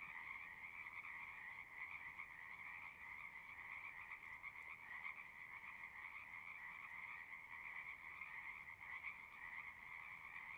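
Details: Pond frogs in a horse pasture calling together, recorded with a Zoom 6: a dense, continuous trilling chorus with no clear breaks, individual voices merged into a steady buzzing drone at moderate distance.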